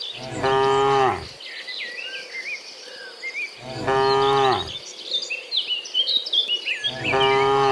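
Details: Cows heading home from the fields to their pen in the afternoon, dozens together; three strong, rich moos of about a second each, spaced a few seconds apart, over twittering birds and a continuous high insect drone.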